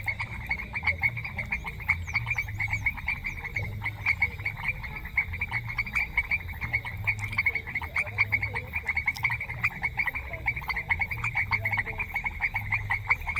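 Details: Natural ambience of a semi-humid rural pasture with a frog chorus, rapid repeated croaking clicks forming an even continuous wall of sound, plus faint high chirps and a low rumbling background.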